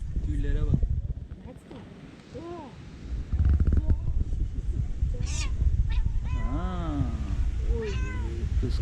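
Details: Fluffy tortoiseshell female cat, a little jealous, making funny, weird noises while eating: short arched and rising-falling meows in quick bursts, with a woman talking in Turkish and some English throughout.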